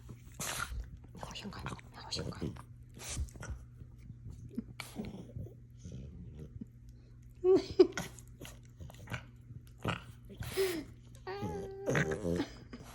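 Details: French Bulldog making funny noises: scattered snuffling grunts and snorts, then a few short, high whining squeals toward the end, with a person talking over much of it.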